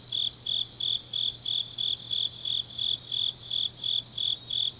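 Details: Grass insects calling in the depth of an autumn night at Changnyeong, South Gyeongsang, Korea. Regular high trilled pulses sound about three times a second above a faint continuous low hum.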